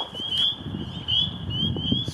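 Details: Many spring peepers call at a vernal pool on an early spring evening after the first warm rains, during salamander migration, giving short, high, rising peeps about twice a second in a continuous ringing chorus over low rustling and handling sounds.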